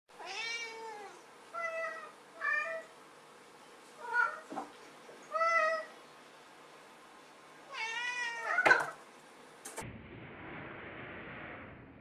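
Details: Domestic cat playing in a box, recorded 18 August 2017, gives about six clear, tonal meows over eight seconds, some arching and drawn out, others short and chirpy. A sharp clatter follows, then a steady rushing noise.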